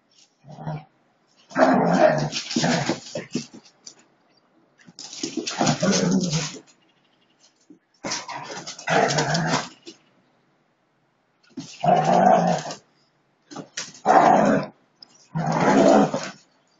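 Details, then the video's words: Siberian Huskies play-fighting in a friendly way: rough growling bursts lasting one to two seconds, broken by pauses, with a brief spoken word at the end. "husky amazing''Husky Dogs'friendly fight''"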